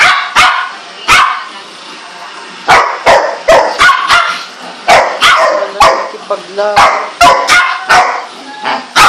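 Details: A four-month-old Golden Retriever, tied up because the other dogs get angry at her, gives short, high yips and thin whines among sharp knocking sounds.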